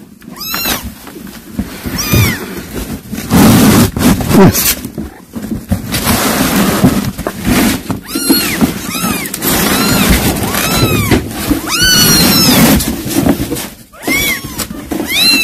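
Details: Cat, a mother that brought a caught mouse to feed her kittens: many high, arched mews repeat and overlap through the recording, several callers at once, over a steady low rumbling background.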